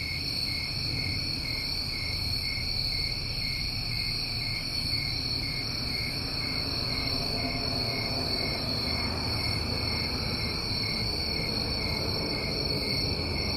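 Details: A steady high trilling chorus of New England summertime crickets continues without break, while a somewhat stronger broadband background noise and low rumble rise in the middle and later part.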